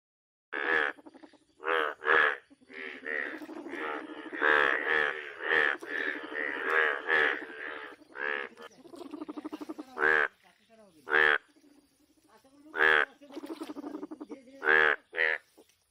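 A toad gives short, buzzy, harmonic croaks in irregular bursts about a second apart.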